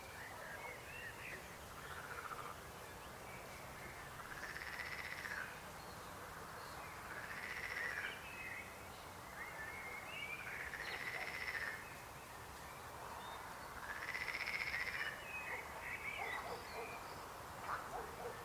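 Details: Chorus of frogs with several overlapping pulsed croaking trills at mid pitch, rising and falling in loudness over about eighteen seconds, with scattered fainter calls between and a steady background hiss.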